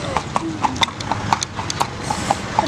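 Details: Horse ridden around the fruit market at Berastagi: steady clip-clop of hooves, sharp knocks roughly every quarter second over a busy crowd murmur and voices.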